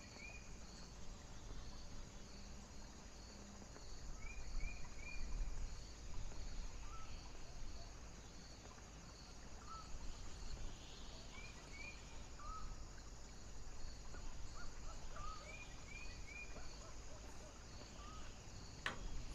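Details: A foggy night with heavy wind, crickets giving high, thin chirps in a rapid, regular string throughout, over a deep roar of wind gusts; occasional short, sliding whistles sound now and then in the background.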